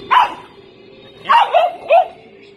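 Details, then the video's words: One sharp bark from an angry dog, a pause, then three fast barks in a row over a faint steady background hum. "Angry Dog"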